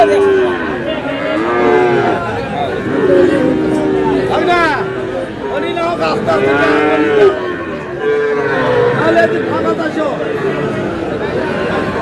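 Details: Sahiwal breed cattle and bull calves on sale in Chuadanga, 4 July: loud, bending moos overlap in quick succession, some rising sharply then falling, above a constant hum of voices and crowd noise.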